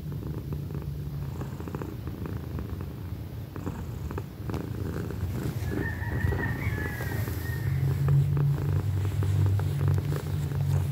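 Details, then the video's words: Deep rhythmic purr of a young pet cat named Pequeña, about four pulses per second, growing louder over time, with a faint high chirping sound in the background partway through. "loud kitty purrs"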